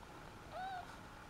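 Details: Shih Tzu puppies two days old from the Jolene Sugar litter; a single short whining squeak that rises and then falls, heard over a steady low hum.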